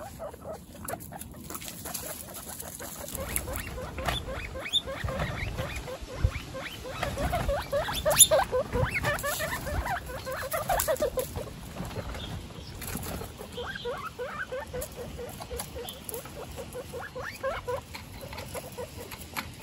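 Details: One-week-old baby guinea pigs, Snow, Pistachio and Pumpkin, in a household of 29 guinea pigs, give a long run of short, harmonic squeaking notes, about two a second, rising and falling in loose bursts, with soft rustling and patter underneath.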